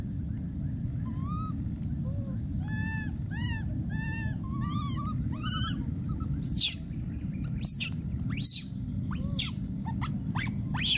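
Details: Wild baby monkey calling for his friend, first with a rapid series of plaintive arched coos, then a burst of sharp, very high screams in the second half, over steady low-frequency rumble.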